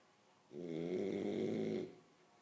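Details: Asleep, a French Bulldog lets out a single sustained, buzzing snore of roughly one and a half seconds, rough and steady, with silence on either side.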